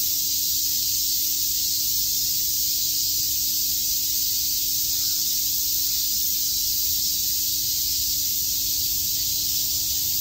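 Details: Summer chorus of cicadas at Shakujii Park in Tokyo, heard as a dense, constant high-pitched buzzing hiss without pauses or changes in loudness, over a faint steady low hum.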